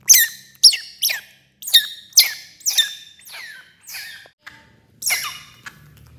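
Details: Baby otter eating fish for the first time: sharp high squeaky cries in an uneven series, some with trailing downward tails, pausing briefly before a final few squeaks over faint low background rumble.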